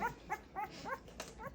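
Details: Great Pyrenees puppies, two weeks old, at their first bath: a brief burst of five or six thin, bending whimpers, each a short squeaky yelp spaced about a quarter second apart.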